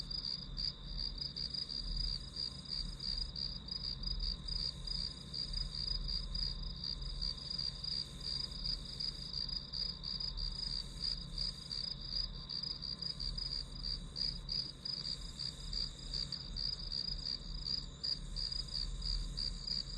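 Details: Steady high chirps from grass insects, pulsing close to three per second without a break across the whole stretch, layered over a thin constant ringing and a quiet low rumble.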